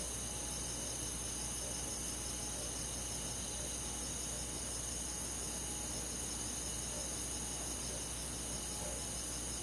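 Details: Crickets among rural forest insects at night in summer form a thick, even wall of high rapid chirping, with no gaps or single standout caller, and a faint low drone beneath.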